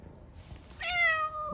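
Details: Hungry stray street cat in Istanbul asking for food with an unusual meow: a single loud, clear, drawn-out tonal meow that starts abruptly and slowly falls in pitch, after quiet background.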